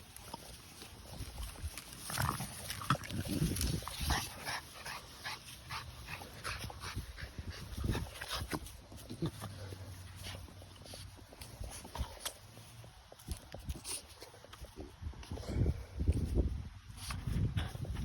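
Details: French Bulldog playing excitedly indoors, giving low snorting grunts and snuffles with scattered clicks and scuffling sounds throughout; a person speaks softly in the background.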